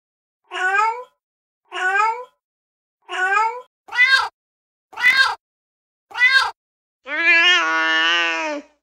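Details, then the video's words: Domestic cat meowing in a funny pet compilation: six short rising-falling harmonic meows at steady intervals, then a longer drawn-out meow, with a brief exclaimed "ooh" after. "Funny Cats Meowing Videos"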